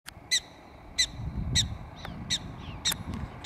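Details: Prairie dog at Devils Tower calling outdoors: sharp, high, clipped chirps repeated steadily about every half second, seven in a row, over a low rumbling background with faint softer squeaks between.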